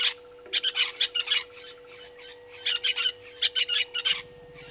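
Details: African painted dogs at Gowrie dam waterhole, Djuma Game Reserve, Sabi Sand Wildtuin, South Africa, from a live waterhole camera at 17:49 on 04/03/2022; shrill, squeaky chirps in rapid bursts of four to six, two main clusters separated by a quieter gap.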